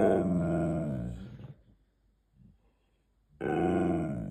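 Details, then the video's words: Siberian Husky, a male pet indoors, talking back while demanding a treat: long harmonic groaning vocalisations, one drawn-out grumble, a pause, then another sustained rising howl-like moan. "Husky talking back demanding treats"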